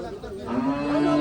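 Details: Small bull brought from Jamalpur to a village haat (cattle market) in 2024 lets out a low, steady, droning moo that starts halfway through and holds an even pitch. Men's voices bargain nearby.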